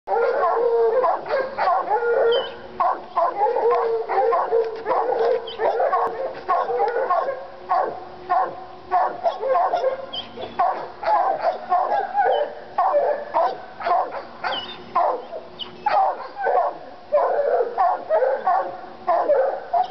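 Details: Two Treeing Walker Coonhounds in North Carolina worked up over a raccoon skin, one recovering after being hit by a car; continuous excited, overlapping bawling and chopping barks, several per second, with no pauses.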